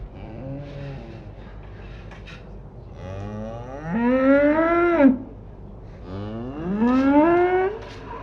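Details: Pasture cows: soft distant lowing at first, then two loud moos that climb steadily in pitch and end abruptly, with faint low background rumble throughout.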